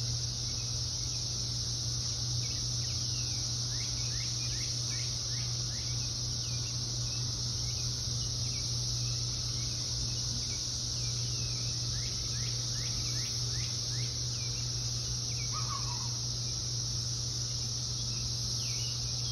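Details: Brood X periodical cicadas in Ohio, June 2021, a brood appearing every 17 years: a dense, steady, high-pitched droning chorus that continues unbroken throughout, with scattered short bird chirps and a low constant hum beneath.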